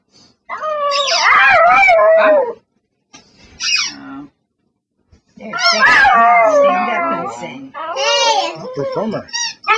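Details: A begging dog sings for attention indoors, producing wavering, rising and falling howl-like whines in several bursts separated by short pauses, with squeaky-toy squeaks and a person's voice mixed in.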